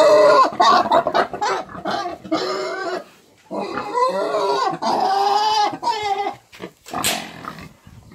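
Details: Eight-month-old piglets of a Romanian breed squealing in overlapping, harmonic bursts, some wavering and some rising, packed closely with short gaps, ending with a sharp high squeak.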